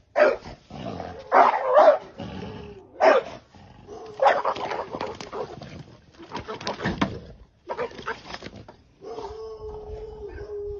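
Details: Dog barking while attacking a snake: loud harsh barks in irregular bursts about once a second, with gaps and a steady tonal hum near the end.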